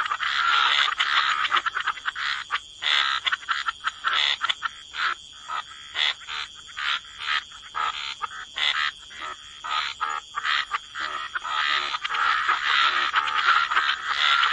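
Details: Gentle wetland chorus of croaking frogs: quick rasping pulses near two a second, irregular and overlapping, over a faint continuous high whine.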